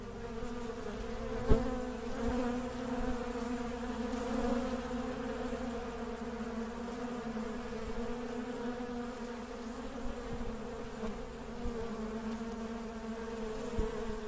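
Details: Busy honey bees fill the air with a constant layered drone, low and steady, punctuated by occasional sharp taps and clicks, one louder knock near the start.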